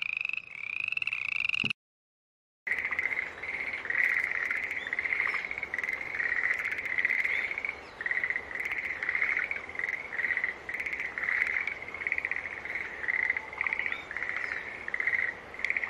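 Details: Green tree frog gives one rising pulsed call, then after a brief silence a chorus of short, nasal, buzzy notes follows in quick, overlapping repetition, with faint clicks in the background.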